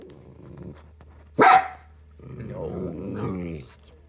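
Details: Dog giving a single sharp, loud bark, followed after a pause by a lower, rough, growling vocalization that wavers for over a second; quiet low hum beneath.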